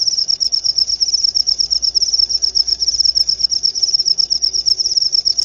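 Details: High, ringing cricket chirps in a rapid pulsed stream, said to repel rats and serve as a lure sound; the pulses wax and wane slightly but never stop.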